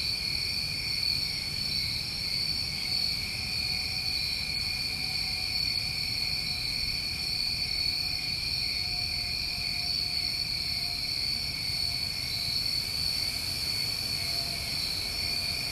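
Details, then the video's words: New England summertime crickets in a steady, unbroken chorus: two continuous high shrill bands, the brightest very high and a second lower, holding at an even level throughout, with faint low rumble beneath. "Over 1 Hour Of Tinnitus Masking With Crickets"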